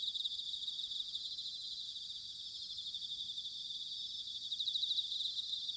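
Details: Autumn chorus of bell crickets in Sanuki, Chiba Prefecture, Japan: continuous high-pitched shimmering trills from many insects, pulsing slightly and swelling toward the end, over a soft low background hum.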